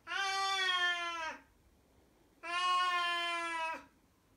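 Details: A nearly 17-year-old blind female Siamese cat gives two long, loud, steady howls, each ending with a slight downward drop; this howling/baby-cry began in the last 4–6 months, happens anywhere about 8–10 times daily, cause unknown.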